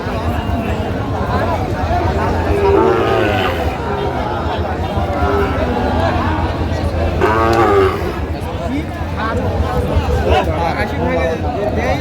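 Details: Sahiwal bull calf, about eight months old, bought by a woman farmer from Jessore, Bangladesh; two short low moos about four seconds apart, partly masked by men talking and a steady background rumble.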